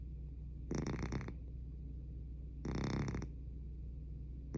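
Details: Domestic cat snoring loudly indoors: harsh, rasping breaths in half-second bursts roughly every two seconds, separated by quieter pauses over a steady low hum.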